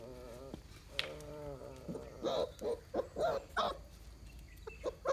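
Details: Mudhol Hound puppies meet their big brothers, among them a Great Dane, for the first time. A drawn-out, slightly falling whine opens, then a rapid series of short, rough yips and sniffing bursts follows.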